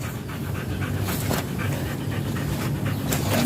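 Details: German Shepherd in Nalsian, Manaoag, Pangasinan, during a stud session, breathing in fast steady pants, with a low rumbling background and occasional brief thumps.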